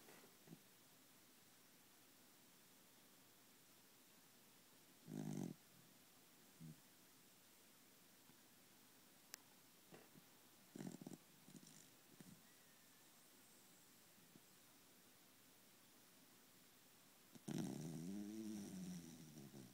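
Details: Male Pembroke Welsh Corgi snoring while asleep next to its owner indoors: a long quiet stretch broken by short rough low snorts near five and eleven seconds, then a louder, drawn-out rasping snore at the end.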